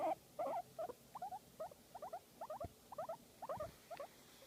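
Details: Guinea pig enjoying a massage, giving rapid trains of short paired chirps, around two or three per second, mid-pitched and slightly rising, with a couple of louder squeaks at the start and a soft thump.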